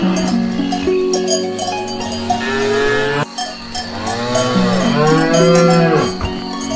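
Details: Grass-eating cows produce a string of long, harmonic moos, several arching up and down in pitch, with two or more animals calling at once amid persistent cowbell ringing.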